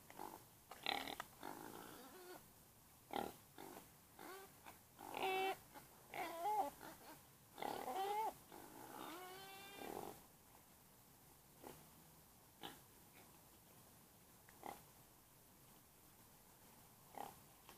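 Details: Domestic pig making a run of short, harmonic squeals and grunts through the first ten seconds. Some calls rise and fall, one is wavering. After that only scattered soft knocks and clicks break a quieter background.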